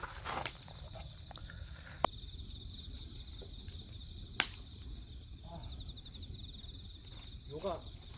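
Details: Grass insects keep up a steady, high, faintly pulsing chirr beneath a crackling wood fire, with sharp pops from burning logs and a few soft, distant human voices.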